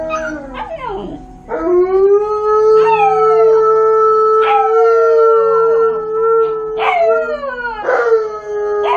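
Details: Malamute and husky left home alone for the first time, captured on a GoPro: loud drawn-out howls with sharp rising yips and sliding starts, several voices overlapping, a new howl beginning roughly every second or two.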